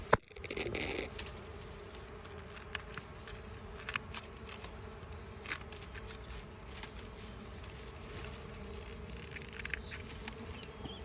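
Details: A bee swarm leaving its old hive to settle in a new one makes a continuous even hum. A brief knock and rustle come at the start, and light crackling follows.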